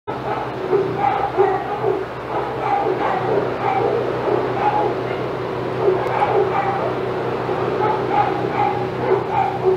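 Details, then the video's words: Senior dogs at Old Friends Senior Dog Sanctuary in an outside yard, going crazy with excitement as another dog named Titus passes; several overlapping barks and yips repeat steadily throughout, over a constant low hum. "Dogs Go Crazy as Titus Passes"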